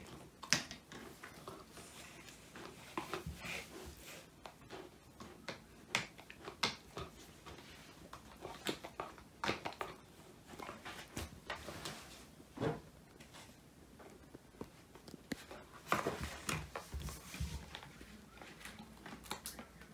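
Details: Woody, a male Old English Sheepdog born 22 January 2019, crunching through a whole quail, a homemade treat and his first ever snack, recorded on a phone indoors: irregular sharp crackling bites and crunches over twenty seconds, with brief quiet gaps between chews.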